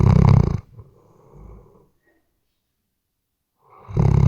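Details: Snoring Weimaraner during sleep, RODE NTG3B microphone: a harsh snore at the start trails into a soft wheezing breath, then quiet, before the next rasping snore builds at the end.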